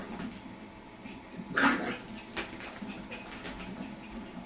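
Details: Jack Russell terrier puppy playing with a lazy beagle at home, making weird noises: one short, strained whimpering yelp rises out of a low household hum midway, then fades into quiet rustling.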